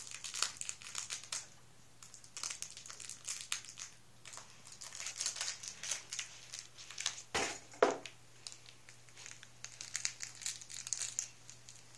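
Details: Quiet crinkling and rustling of paper in a small indoor room, with soft scattered crackles and a faint low hum, but no animal voice.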